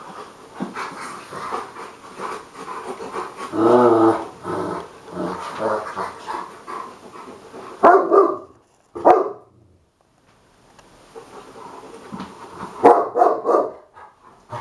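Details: Hagi, a Romanian Mioritic, plays with Nijinsky, a South Russian Ovcharka, indoors; rough harmonic growls and gruff bark-like bursts come in clusters, with short breaks and a near-silent gap between loud outbursts.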